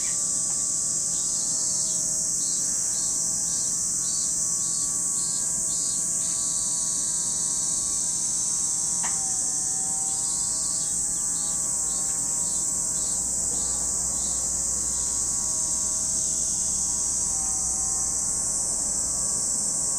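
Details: Cicadas at Lake Kamo in Sado City, Niigata Prefecture, Japan: a dense, unbroken high shrill drone fills the air, with bursts of faster pulsing buzz layered on top. Faint low steady humming tones run underneath.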